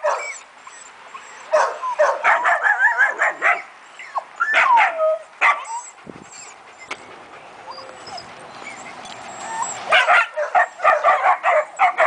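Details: German Shepherd called Leon yipping and whining in quick clusters, with quieter stretches between bursts and a long lull midway, then a dense flurry of high yelps near the end.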